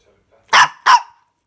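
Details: Jill, a pet dog, gives two sharp, loud barks about a third of a second apart indoors, each a brief broadband burst, with silence before and after.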